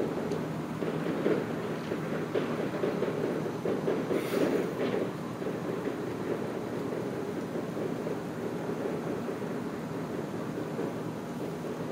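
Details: Steady wind and low traffic-like rumble with no animal calls.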